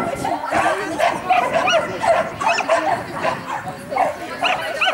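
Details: Mixed-breed Jessie and sheltie Lesya competing at the St Petersburg championship, 12 April 2015: rapid, evenly spaced shrill barks, several per second, over a bed of human voices.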